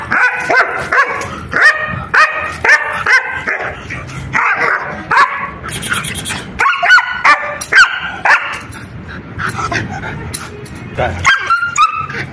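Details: Barking German Shepherd shown in attack shots: strong, harsh barks repeating about twice a second in uneven bursts, some yelping notes among them, over a steady background hiss with a brief burst of clatter midway.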